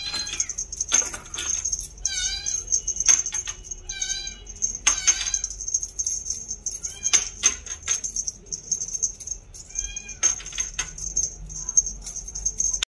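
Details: Meowgi, a two-month-old female purebred Scottish Fold kitten with a bi-lilac coat and folded ears, gives about four high, thin meows, some rising then falling, spread across the recording over a steady high whine, clicks and rustling.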